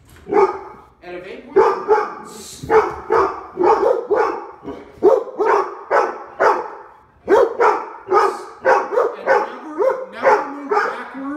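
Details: Labrador Retrievers Dale, Lola and Max in an Omaha home barking at the door before behaviour training; loud barks repeat about every half second to one second with brief pauses, and a person talks in between.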